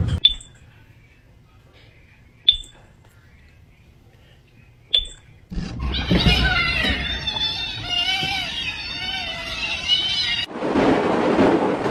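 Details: Three short electronic beeps, then loud children's voices, shrieks and music, with no animal calls.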